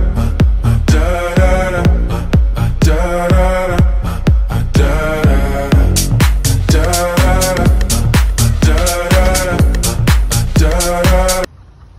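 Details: Loud disco-pop dance music with a thumping beat about twice a second plays until it cuts off abruptly near the end, and no animal sound is heard.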